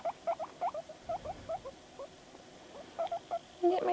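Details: Pet guinea pig named Panda making noises while reacting to videos: bursts of short, squeaky chirps in quick succession, a brief lull around mid-clip, then a louder, rougher squeal at the very end.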